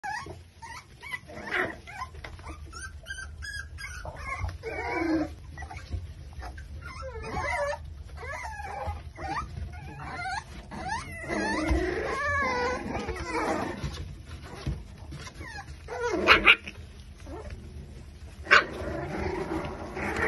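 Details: Litter of Exotic Micro Bully puppies, five weeks old, at a kennel in Buffalo, New York, whimpering and yipping in overlapping high, wavering whines that rise and fall, with scuffling noises between cries.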